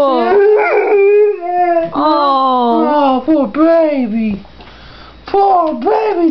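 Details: Pit bull and boxer mix dog singing the blues, howling in wavering, bending notes with short yips and gaps, a person's voice mixed in at points.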